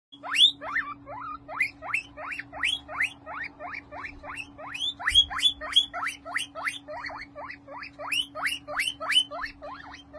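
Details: A happy curly-coated male guinea pig calling, a fast series of short rising squeaky whistles, about three per second, in pulsing bursts with a steady low hum behind.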